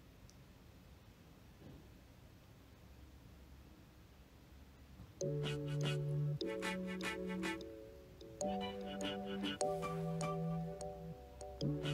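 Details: A quiet indoor hush that gives way after five seconds to a plucked melody with steady bass notes, with no animal voice.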